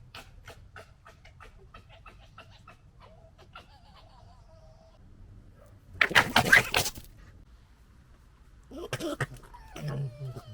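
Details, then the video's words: Foxes recorded in 2021 during fighting let out harsh, stuttering gekkering bursts after a stretch of faint clicking. "Fox Funny Sounds"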